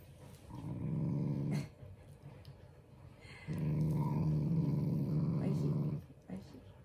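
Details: Playful, affectionate Shiba Inu growling at its owners indoors, not angry; two sustained low throaty growls, the second longer at about two and a half seconds, with a woman's voice speaking softly between them.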